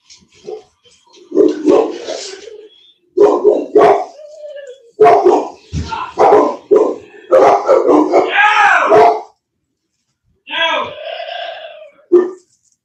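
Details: Cane Corso, or Italian Mastiff, from a breeding kennel west of Nashville, Tennessee, barking loudly in repeated bursts over about nine seconds, then a short final outburst after a pause, with a human voice mixed in.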